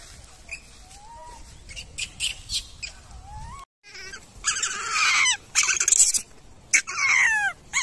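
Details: Wild baby macaque crying loudly after being bullied by its mother; faint thin whistles at first, then a short gap and harsh, noisy screaming bursts with sliding tones, repeated in uneven spurts.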